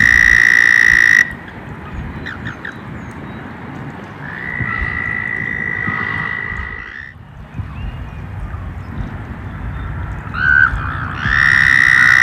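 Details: Frogs emerging in spring, calling outdoors: a loud, steady, high trill for the first second, then a fainter long trill in the middle, and a close trill returning at the end over a constant low rumble.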